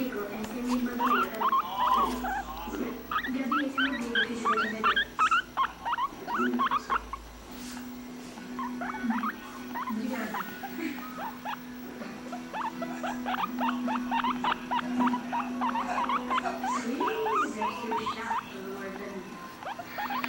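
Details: A guinea pig chatters and squeaks with rapid, high chirps in dense, irregular bursts over a low, steady hum.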